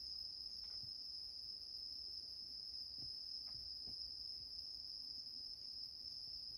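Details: Continuous high ringing song of a bell cricket, heard in a home as a rescued male cat naps comfortably on a grandmother's bed; the unbroken shrill tone runs steadily, with a few faint taps and low background hum.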